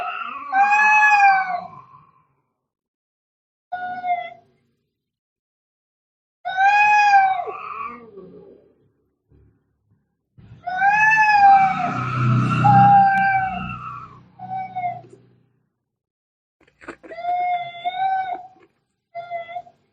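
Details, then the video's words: Cat fight with angry, drawn-out yowls in bursts separated by silences. Each wail is rich and nasal, bending up and down. A longer middle outburst mixes the wail with a rough, noisy hiss-like growl. "cat fighting sounds - Scary - Sound like K1ds - Very Angry"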